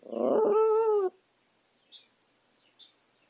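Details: A dog howls: one loud tonal wail about a second long with a slight falling end and rich harmonics, followed by two faint short clicks or taps in near silence.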